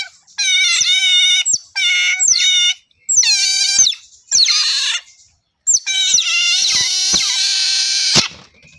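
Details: Otters give long, loud, high whistling squeals in four or five sustained bursts, each with dense overtones and slight downward bends, separated by short silences.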